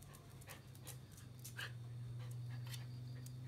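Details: Joe, a Jack Russell Terrier, playing with a green frog without harming it, pants in quick, breathy bursts about three times a second, with light rustling between breaths.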